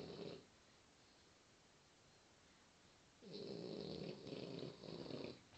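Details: A sleeping French Bulldog snoring indoors: a brief raspy snore at the start, a quiet pause of nearly three seconds, then a longer breathy, buzzing snore in two or three pulses lasting about two seconds, fairly soft overall.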